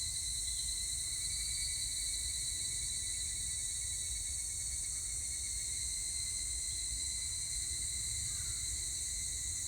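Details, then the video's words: Higurashi cicadas recorded on 25 July 2019: a steady, shrill insect drone with bright ringing bands high and mid-high, holding unbroken for the whole stretch over a low background rumble. "セミの鳴き声 ひぐらし"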